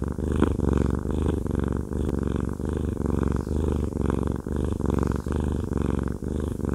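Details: Massaged pet cat Haku, fluffy and male, gives a rich, throaty purr, the steady low rumble broken only by faint breath pauses every second or so.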